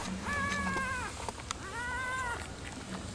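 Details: Nursing Rottweiler puppies with their black mother, whose milk supply is low. Two drawn-out, arched whines, each about a second long and separated by a pause, sound over a faint low background hum.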